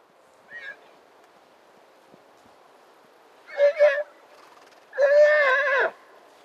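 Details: Konik wild horses calling. A faint short call comes first, then a quavering whinny in two pulses, then a longer, louder tremulous whinny that slides downward at the end, over a quiet background.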